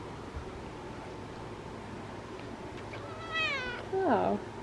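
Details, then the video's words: Female orange cat with her brother, talking in the sun. A quiet stretch gives way to a bright, wavering meow that bends downward near the end, then a woman begins speaking. "Talking Orange Cat!"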